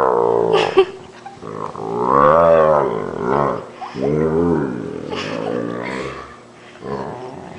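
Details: Great Dane named Fender making deep, drawn-out moaning groans likened to a water buffalo while a person pretends to bite his paw; several rising-and-falling harmonic moans with short breaks and breathy noises between them.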